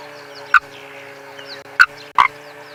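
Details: Frog concealed inside a safari car at sunrise, 7 January 2022, calling unseen: three abrupt knocking croaks, one alone and then a close pair about 0.4 seconds apart, with a constant low vehicle hum and soft high bird twitters behind.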